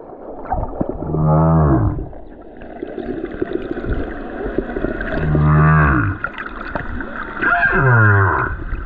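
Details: Lone male humpback whale singing on the Silver Bank in February 2023, recorded while snorkeling above him: deep moaning units with rising harmonic sweeps, three long phrases separated by quieter gaps, plus a faint higher tonal band.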